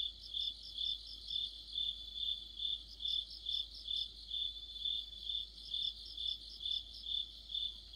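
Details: Autumn chorus of crickets and other insects: a steady, high ringing pulse repeated a little over twice per second, overlaid by bursts of faster, higher trilling chirps from other singers, with no other sounds.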